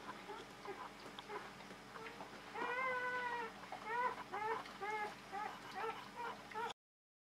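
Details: On their first night, five newborn female Czechoslovakian Wolfdog puppies of Orizon and Rahan, born 21 November 2020 at a kennel, whimper softly. Faint bending squeals come in short clustered runs over a low steady indoor hum.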